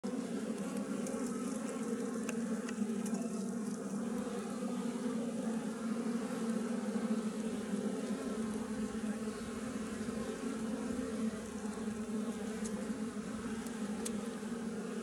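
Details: Wild western honey bee colony living in a tree, found while hunting honey trees; a dense, steady low buzzing drone from many bees holds constant throughout, with a few faint ticks near the start.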